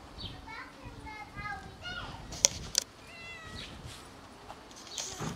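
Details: Shy kitten eating alongside her mother: a run of soft, high, short meows repeated quickly, then a few more after a pause. Two sharp clicks and a person's quiet voice are heard in the background.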